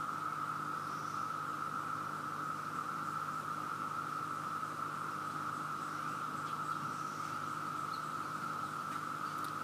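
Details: Overwhelmingly loud chorus of many cicadas in Virginia, with insects everywhere and dead ones underfoot: a steady, unbroken droning whine at one mid pitch that holds level throughout, with faint low hum beneath and no other clear sounds.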